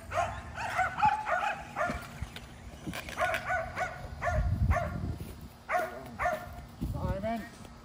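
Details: Kerry Blue Terriers, five dogs being exercised at home with a remote-control car, bark in sharp, clustered yelps with short pauses, mixed with a low human voice and rumbling background.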